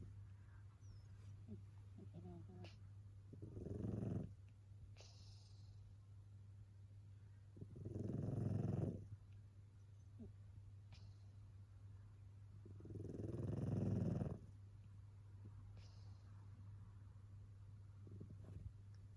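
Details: Sleeping tabby cat snoring in a way said to sound almost human: three long, low, rasping breaths spaced about five seconds apart, with a steady low electrical hum underneath throughout.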